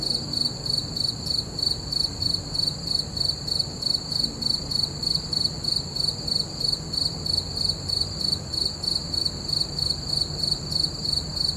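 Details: Full-moon night with crickets giving continuous piercing chirps, short pulses following each other at a regular pace against quiet low background noise.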